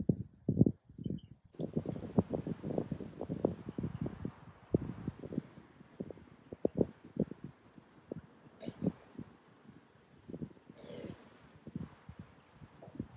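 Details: Koala pair, male against female, struggling in mating season; dense low grunting pulses that come fast at first, then more scattered, over a steady background hiss with occasional rustling.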